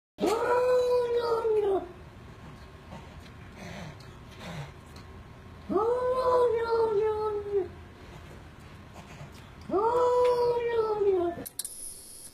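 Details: Cat making weird meow noises: three long, drawn-out wailing meows, each arching up then sliding down, each lasting about two seconds and coming roughly every four seconds, with faint background noise between them.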